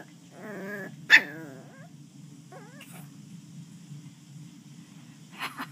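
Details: Playful Westie puppy growling during a game, a wavering harmonic growl followed by a sharp yelp and a short rising whine, then mostly quiet with faint background hum.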